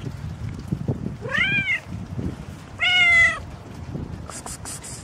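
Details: After the morning rain a pregnant cat gives two clear meows, the first arched and falling, the second flatter and drawn out, followed by a few brief high clicks against soft low background noise.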